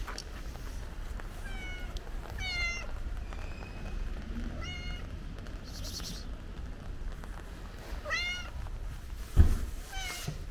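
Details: Stray cat outdoors as it starts to rain gives five or so short, slightly rising meows at irregular intervals over constant rain noise, with a sharp thump near the end.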